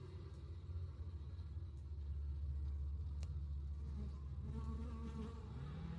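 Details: Western honey bees hum in a low, steady drone at the entrance of a strong, insulated long Langstroth hive in South East Texas during a nectar flow.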